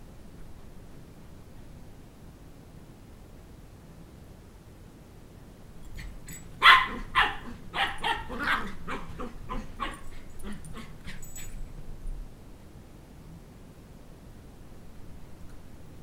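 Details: Two-month-old Sheltie (Shetland Sheepdog) puppy chasing a two-year-old child around a coffee table to recover his stuffed toy dog head, indoors; quiet at first, then a rapid burst of sharp, high yapping barks lasting about six seconds before fading back to quiet.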